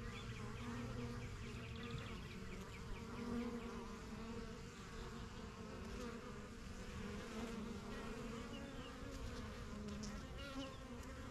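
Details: Backyard honey bee hive, the yellow and strongest of a few begun in spring 2023, bees flying to and from the entrance; a lighter, wavering buzz with individual passing bees and faint bird chirps behind.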